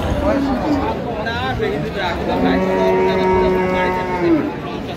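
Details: Cow with her calf at Ambari livestock market in Dinajpur, 5 December 2025, gives a long, steady, harmonic moo lasting nearly two seconds, preceded by shorter lowing calls, while men talk in Bengali about milk yield.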